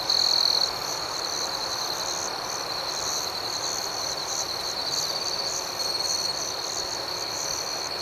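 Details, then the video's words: Night cricket chorus outdoors: continuous shrill chirping with rhythmic pulses layered on top, a louder burst at the very start, then an even, unbroken high trill throughout. "Soothing Cricket Sounds"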